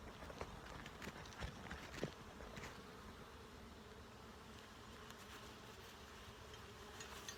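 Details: Steady, soft drone of a honey bee colony while a keeper carries out a full hive inspection for eggs, larvae and capped brood, filmed on a phone; faint taps and knocks from the hive work break through early on.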